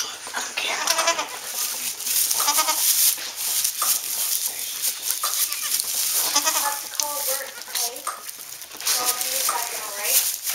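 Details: Newborn Saanen/Alpine kid goats, among the first born on a hobby farm in May 2012, giving short, wavering, bleating calls that repeat through the clip, with people talking over and between them.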